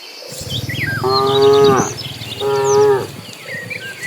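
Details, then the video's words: Dozens of cattle being herded to green pasture; two drawn-out, harmonic-rich moos of about a second each, the second beginning after a short gap, with birds chirping and twittering faintly overhead. "Suara sapi lucu riang gembira"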